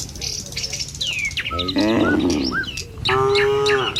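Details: ['Morning village road with tame cattle moving in a line toward a field to feed: two moos, one wavering and one steady and even-toned, set among sharp bird chirps and whistles.']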